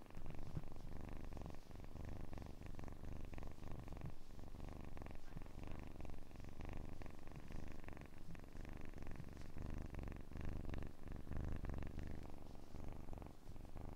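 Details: Long unbroken kitten purr, a dense rumbling low vibration held at a constant level for fourteen seconds with small rhythmic wavers.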